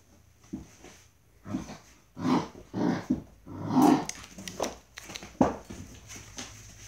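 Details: Dobermann puppies playing in their kennel house give short, irregular bursts of squeaky growls and yaps.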